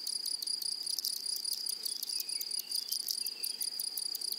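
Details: Grasshoppers in a flowering prairie meadow produce a shrill, unbroken high buzz, with a sharper ticking pulse repeated several times a second above it, constant and even for the whole stretch.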